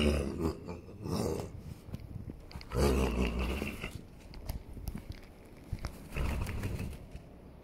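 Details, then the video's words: Holsteiner horse rolling on the ground, giving deep, rumbling groans and grunts in several drawn-out bursts, the loudest near the start, around the third second and again toward the end, with rustling and scraping between them. "Pferd beim wälzen mit lustigen original Geräuschen"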